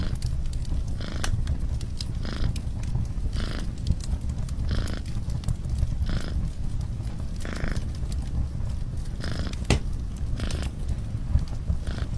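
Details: A low, continuous rumbling purr from a cat near an open fire, rising and falling rhythmically in breathing pulses, with the fire's crackles and snaps scattered over it.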